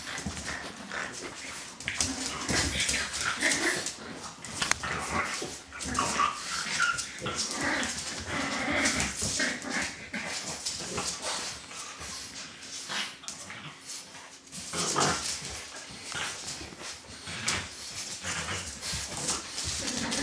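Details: A litter of dog puppies, with brief high squeaky whimpers surfacing now and then over constant rustling, scratching and clicking noise, plus faint low voices in the background.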